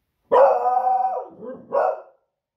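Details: Female beagle dog reacting to loud fireworks on a Friday evening, raising the alarm: a long, loud baying bark that sags in pitch, followed by a shorter, sharp second bark.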